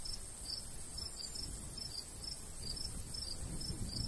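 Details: Crickets in summer countryside by a golden wheat field, giving short high chirps in loose pairs and clusters every fraction of a second, over a steady low rumble of light breeze.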